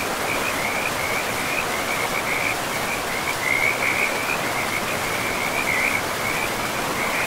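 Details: Many frogs by a forest river give continuous high, buzzy trills, brightening in short waves every second or so, all over a loud steady hiss of flowing water.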